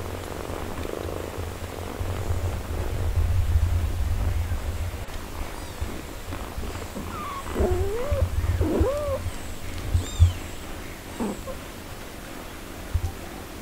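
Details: Mother cat tending her four-day-old kittens while nursing: low continuous purring in the opening seconds, then a few short, thin, rising-falling mews scattered through the second half, with occasional rustles.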